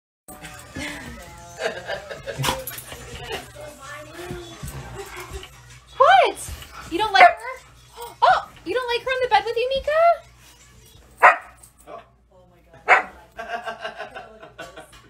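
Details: Two Siberian Huskies squabbling over the same bed indoors: wavering, rising and falling howl-like vocalizations and short yelps in bursts, mixed with human speech and background music.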